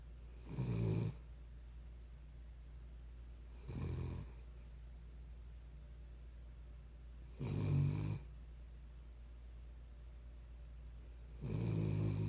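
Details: A sleeping Cavalier King Charles Spaniel snores in four short, raspy bursts spaced about three to four seconds apart, over a constant low background hum.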